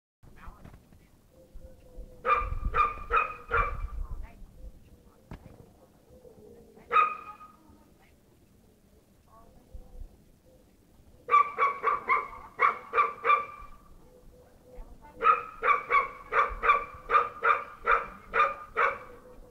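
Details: Bull Terrier barking all day long: quick bursts of sharp, harmonic barks, a few barks, a lone bark, then longer runs of eight to ten in a row separated by quiet pauses, with faint low background sounds.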